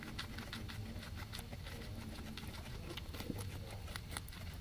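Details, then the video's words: Crisp, rapid crunches and clicks as two guinea pigs chew grass, picked up close by a microphone array. Bites come in quick irregular bursts over a low rumbling background. "Guinea pigs eating"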